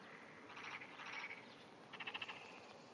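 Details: Early-morning Japanese wrinkled frog hidden beneath grass, 5:30 am, June 2009, giving two short vibrating pulsed calls, the first longer and raspy, the second a quick run of four or five clipped pulses, against soft background hiss.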